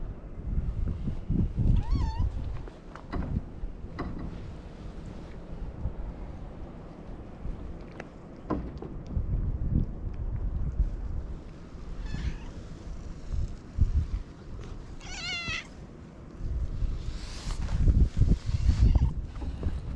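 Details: Domestic cat in Japan crying "nyaa nyaa", wanting to play, as someone plays with it: a few short wavering meows over steady low rumble and handling bumps, with thin high whistled calls of a black kite near the end.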